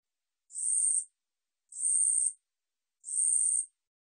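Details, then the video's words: 우리여치 katydid from the National Institute of Biological Resources, 2020: three evenly spaced, high rasping buzzes, each roughly half a second long. Nothing else is audible. "우리여치, 여러번 듣기, 곤충소리"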